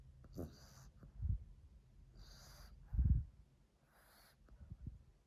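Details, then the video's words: Mila, a French Bulldog found asleep under a chair and recorded on 2 March 2021, snoring loudly, possibly dreaming. Low rumbling snores come roughly every two seconds, alternating with breathy, hissing inhalations in a quiet room. "Little snoring zombie frenchie - Mila"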